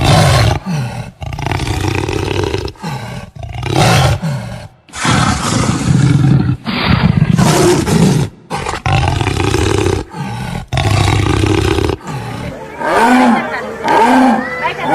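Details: Jaguar giving loud, harsh roars and throaty growls in long rasping bursts separated by brief gaps, ending with a few tonal, wavering moans.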